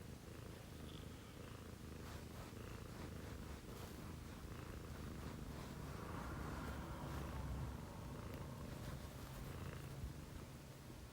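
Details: Domestic cat purring at 6 AM in a home shared by two female cats, Chomi, a Scottish Fold, and Putico, a Munchkin. A steady, low, continuous rumbling purr runs throughout with a fast pulsing rhythm and soft faint rustles.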